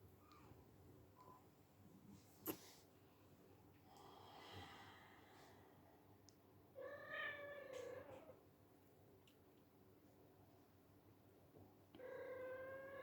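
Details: Pet silver Bengal kitten playing inside, uttering two clear harmonic meows several seconds apart, with a sharp click and rustling sounds earlier.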